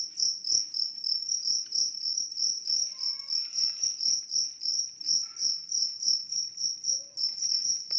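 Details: A large cricket gives a steady stream of high, pulsing chirps, several each second.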